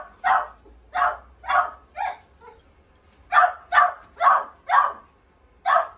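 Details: Pomeranian yapping in short, sharp, fairly high barks, about two per second with an uneven beat and a brief pause midway, a faint tinkling sound in the gap, little else audible.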